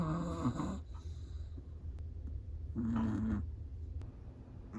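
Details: A sleeping Chihuahua gives two drawn-out snores, rough and buzzy with a faint whistled edge, about three seconds apart, against a quiet low hum.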